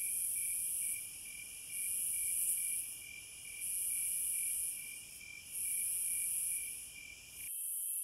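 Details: Wild cicadas giving loud, very high hissing bursts of about a second, each swelling and fading, repeated at a steady pace over a continuous pulsed chirping background that cuts off abruptly near the end.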